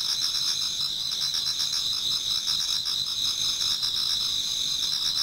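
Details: A chorus of many insects in a Japanese garden in autumn, heard towards dawn, forms an unbroken high ringing drone threaded with rapid, beating trills.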